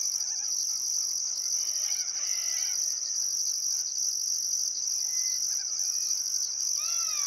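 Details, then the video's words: Summer evening crickets trilling by the Barcoo River in Welford National Park, Queensland: a constant shrill drone and a higher band that pulses about once per second, joined by varied bird calls, chattering notes and slurred whistles. "Australian Sunset Chirping Crickets"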